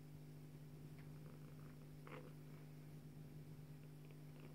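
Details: Low unbroken purr of the Bengal cat Joye as she nurses her kitten Leeloo, a steady hum with one soft rustle midway.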